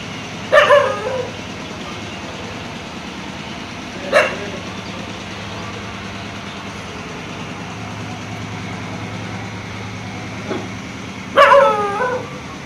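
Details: After sighting a fox in daylight, a dog gives three loud, rough barks at uneven intervals, each with a short wavering tail, over a low vehicle hum and steady hiss.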